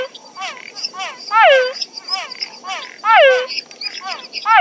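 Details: Night frog chorus in a natural habitat. Loud, ringing, downward-slurred notes sound about every one and a half seconds, and fainter overlapping calls from other frogs fill the gaps.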